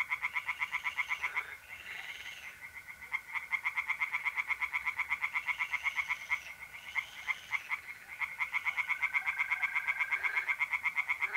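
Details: Several tree frogs calling together from a pond in north-east Italy on an April night, a loud unbroken stream of quick nasal croaks, mole crickets trilling steadily in the background.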